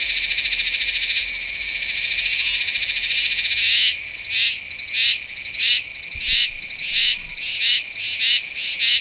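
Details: Meimuna iwasakii cicada singing in September at Nanzhuang, Taiwan, recorded on a Sony A7s3 with a Rode VideoMic NTG. A steady high, hissing drone runs for four seconds, then breaks into pulsed phrases repeated roughly twice a second.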